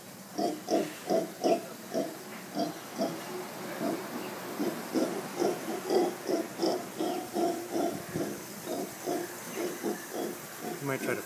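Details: Mantled howler monkeys, known locally as Congo monkeys, noisy near lodgings in Playa Hermosa, Costa Rica. Steady series of coarse, throaty grunts, roughly three each second, pulsing on for over ten seconds with slight hiss behind.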